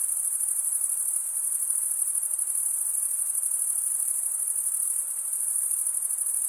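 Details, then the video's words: A dense, constant high shrill of crickets chirping at night in a summer forest, the ringing tone steady from start to finish, backed only by faint soft noise. "Pure cricket music for 20 min"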